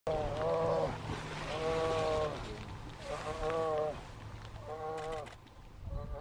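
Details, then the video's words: Second-summer grizzly cub in Lake Clark, Alaska, in June, persistently begging its mother to nurse: four drawn-out, nasal, harmonic wails about a second long, spaced roughly every second and a half, over a low steady outdoor rumble. "Hungry grizzly cub wants to nurse"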